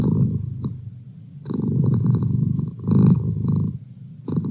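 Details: Domestic cat purring: a low, steady rumble that swells and fades in uneven phases with its breathing, with short quieter gaps between louder stretches.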